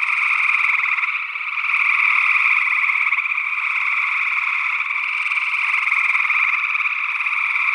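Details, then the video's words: Gray tree frogs calling in Northwest Wisconsin, early June 2022, recorded on an ORTF pair of small condenser mics: a dense, unbroken chorus of pulsed, buzzy trills in two steady bands, mid and higher, with a possible second frog species mixed in. "Gray Tree Frog Calls"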